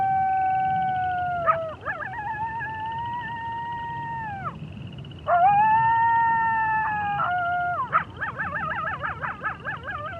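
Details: Coyotes howling: long, steady, drawn-out howls with a brief drop between them, ending in rapid quavering, warbling yodels from more than one voice.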